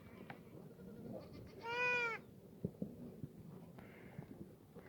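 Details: Black goat at a free-range farm on the slopes of Mucheoksan, Sangdong-myeon, Gimhae, South Gyeongsang, Korea, on a sunny Tuesday morning, 11 June 2019: a single wavering, nasal bleat of about half a second over quiet outdoor background with faint knocks.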